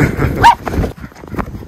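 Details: A single brief, sharp bark from one of the Miniature Schnauzer brothers, Lucky and Levi, playing in deep snow in their Aroostook County, Maine yard in February 2023, over windy rumble and crunching snow.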